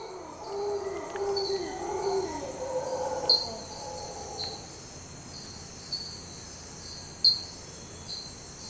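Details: Howler monkeys in Tortuguero National Park, Costa Rica, howling between 4:30 and 5 AM while still dark: a deep, rough, drawn-out roar in the first seconds that fades. Steady insect trilling and occasional bird notes continue throughout.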